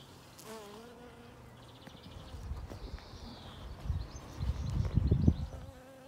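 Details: Honey bees collecting pollen and nectar in a yard on the first warm spring day, above 12°C, buzz low and droning, swelling louder as they pass close by.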